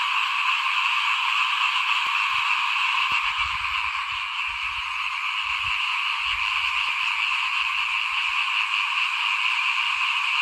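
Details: Small frogs croaking in front of a house as rice seed is sown in 2021, their chorus a steady high rasping trill of about three pulses a second, with soft low rumbling in the background.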